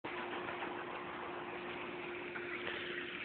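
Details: Steady broadband hiss with a constant low mechanical hum runs throughout, and no animal calls are heard.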